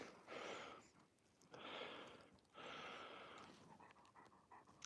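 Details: Alaskan Malamute named Raven resting in the snow during a night skijoring run in a snowstorm, panting heavily in three long bursts of breathy, wide-band sound, with wind noise throughout.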